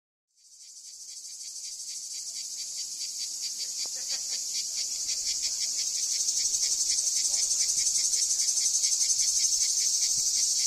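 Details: Cicadas singing their summer song at the archaeological site of Ancient Corinth, Greece: a dense, loud, buzzing high chorus with fine rapid pulsing, fading in from silence and swelling steadily over ten seconds.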